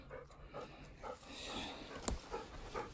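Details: Ten-year-old Golden Retriever on the way to a field, breathing in steady rapid pants about every half second, with one sharp click midway and light background rustle.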